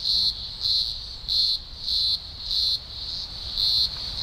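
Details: Deafening chorus of thousands of green grocer cicadas during an early October 2020 emergence in Australia's Blue Mountains; piercing, high-pitched buzzing rises and falls in regular throbbing waves, about three surges every two seconds, with no other sounds.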